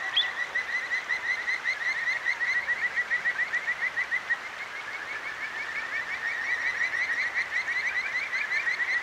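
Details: Kajika frogs calling at night beside a clear mountain stream in Akigawa Valley, Tokyo; dense chorus of rapid high trilled notes, overlapping and repeated steadily, over rushing water.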